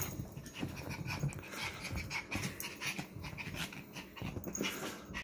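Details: A Chihuahua puppy named Betty pants in quick, breathy, rhythmic puffs throughout, with some scuffling noise close by.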